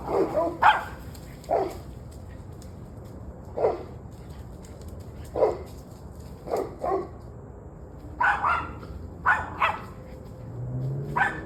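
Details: Dogs barking at 7:06 pm on 21 November 2023: single barks roughly every one to two seconds, becoming more frequent toward the end, with a steady low hum in the background.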